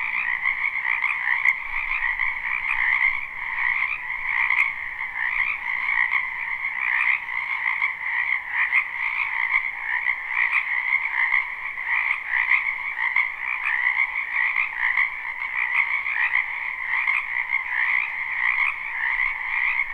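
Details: Many frogs croaking together in a wetland during spring, recorded live: a constant trilling chorus with rapid pulsed texture, individual callers blending, plus a couple of faint sharp clicks.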